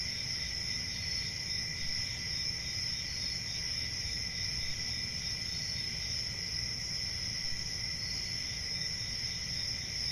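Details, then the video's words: Crickets trilling nonstop in a high, even drone with two stacked pitches, steady in loudness from start to end, over low rumbling noise. "Cricket Sounds"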